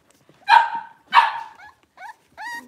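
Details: Cavalier King Charles Spaniel puppy, one of five blenheim littermates born over New Year's, newly moved into a bigger pen: two bright yips of barks, then softer, rising, whiny squeaks trailing off.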